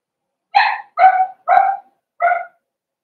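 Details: Cavalier King Charles Spaniel puppies, four weeks old, in an indoor puppy pen during a socializing and feeding session; four quick, high-pitched yappy barks in a row, the last one softer, with nothing else heard.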